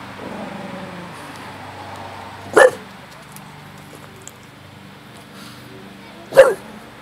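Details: Bulldog barking: two single, loud, short barks about four seconds apart, each a brief burst, with a low steady hum underneath and otherwise quiet surroundings.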